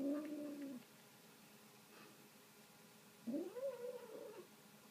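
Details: Pet kitten eating a piece of meat indoors gives a steady, droning whine that trails off, then after a short quiet spell a rising, wavering moan of about a second.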